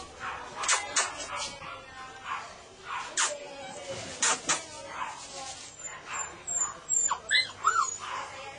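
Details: Golden retriever giving a series of short, sharp yips and whimpers in irregular bursts, closing with several high, rising whines, with human voices faintly underneath.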